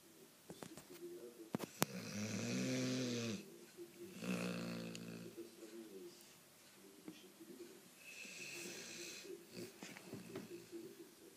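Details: Cane Corso named Sonya asleep indoors, snoring: loud harmonic rasping snores around two to three and four to six seconds, with quieter wheezy breaths and soft nasal rumbling between them.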